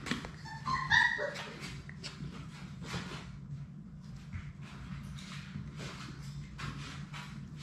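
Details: Six Labrador Retriever puppies at play in their puppy play room; a short high whine with a faint yip near the start, then scuffling, rustling and clicking of playing pups over a low steady hum.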